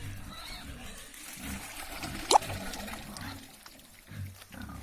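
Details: Piglet at a pig farm, calling with short low grunts in rhythmic bursts through the clip, broken by one sharp high squeak midway; faint voices underneath.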